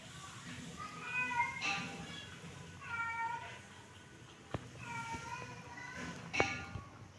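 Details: Two domestic cats playing or fighting together while their owner watches quietly indoors; three drawn-out, harmonic meows come about every two seconds, with background music, faint speech and a few sharp knocks.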